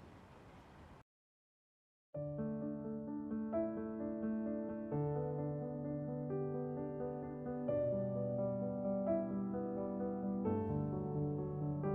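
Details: A short hiss and a second of silence give way to a gentle electric piano melody playing steady chords.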